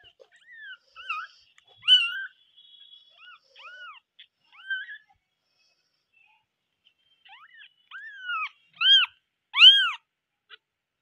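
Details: Several kittens give loud, high, arching meows. Soft scattered mews come first, then a silent gap. A new run builds steadily louder and ends in three strong, rising-falling cries.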